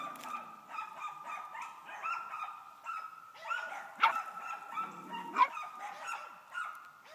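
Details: Female pup aged 11 weeks treeing on a hung-up dead squirrel, her second; soft, sustained whining bawls hold a steady tone with wavering breaks and a couple of sharper yelps, recorded outdoors at low level.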